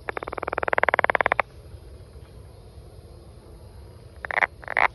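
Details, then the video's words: A rapid pulsed trill from a brown frog that swells in loudness for over a second, then stops; after a quiet gap two short harsh croaks follow. "Brown Frog"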